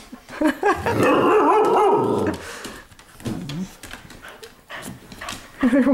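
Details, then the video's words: Playful dogs inside a home after dark: a sustained wavering growl lasts over a second, followed by softer grumbles, clicks of movement, and a fresh growl starting at the end. "Dogs Playing Inside"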